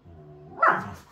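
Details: Siberian Husky in rough play with another dog: a low, buzzy harmonic growl held for half a second, then a sharp, louder bark-like burst that sweeps down in pitch.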